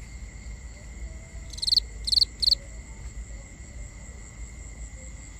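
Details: Nighttime cricket call, binaurally recorded: three quick high chirps, each a tight cluster of pulses about half a second apart, then quiet with low background rumble and a steady faint tone.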